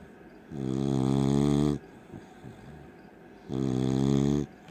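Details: A sleeping beagle snoring loudly: two long, droning, harmonic-rich snores, each about a second long, separated by a quieter pause of soft breathing.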